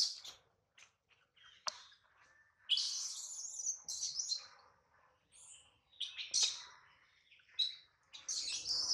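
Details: Baby monkey Adler, hungry and missing his mother, cries while held in the hands of a small monkey: shrill, high-pitched squeals in uneven bursts, with short sharp clicks and quiet gaps between them.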